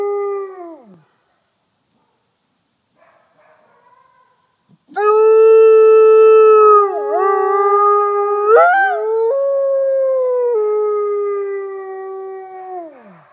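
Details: Mexican gray wolf F810, captive in South Salem, NY, heads a chorus of gray and red wolves: one howl slides down and ends, a quiet gap follows, then a loud sustained howl with dips and a sudden upward step, trailing off at the close.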